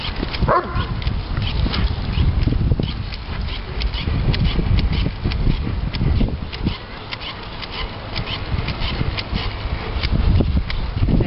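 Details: Diesel, a three-year-old Doberman Pinscher, in a complete and utter fit of excitement over bubbles, giving loud, rough, continuous deep vocalizing with snorting bursts and panting-like noise throughout, barely pausing.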